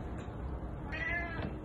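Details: A cat in a garden, recorded 01 08 2020, gives one short, thin meow lasting about half a second, held fairly level with a slight rise, heard faintly over steady background hiss.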